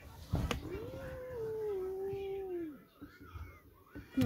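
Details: A scared kitten howling like a wolf: one drawn-out tonal wail of about two seconds that rises, then slowly sinks and fades. There are short knocks before and after, and faint voices in a small room.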